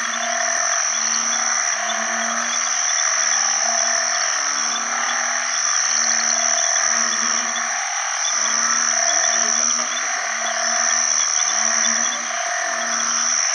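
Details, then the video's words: A chorus of banded bullfrogs (อึ่งขี้ค้าน) calling for mates in water after heavy rain as the rainy season opens. Low, humming notes repeat about four times a second across overlapping callers, beneath a shrill, constant insect and frog chorus. "อึ่งอ่างร้องหาคู่ bullfrog call"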